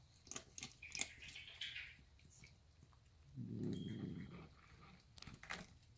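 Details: Female pet cat growling while eating: one low, rough rumbling growl lasting about a second, faint, amid clicking and chewing noises indoors.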